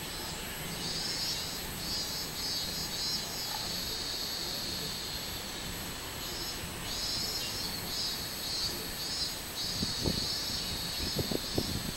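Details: Robust cicada singing on 24 July 2016: a continuous high, shrill drone that swells in soft pulses, with steady thin whining tones above it and a few low thumps near the end.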